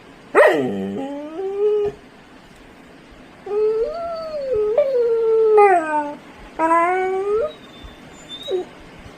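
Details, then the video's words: Labrador Retriever arguing with its owner indoors; drawn-out wavering howls and whines, the first sliding down sharply, then long level moans with a rising tail, four main cries over nine seconds with pauses between. "அம்மாவிடம் சண்டை போடும் பட்டு செல்லம்"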